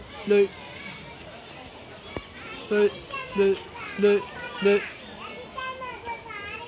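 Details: A goat at a children's zoo in Chikozan Park, Saitama, Japan gives short, nasal bleats that sound strikingly like a human voice, repeated several times.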